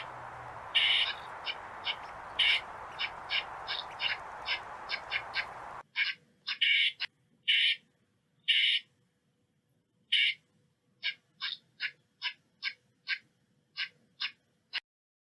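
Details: Calls of an eastern squirrel: sharp high chips mixed with longer harsh, rasping bursts at irregular intervals. A steady hiss in the first six seconds gives way to near silence between calls.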